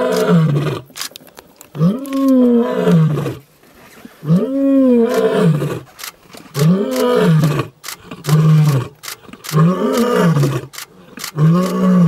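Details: Roaring young male lion in the African bush, announcing his arrival: a powerful series of deep grunting roars, each rising then falling, repeated about every two seconds and tapering toward the end.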